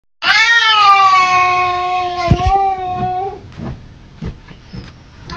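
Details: Domestic cat giving a long, loud, drawn-out meow that holds steady and then slowly falls over about three seconds, followed by faint clicks and scuffling sounds in a small room.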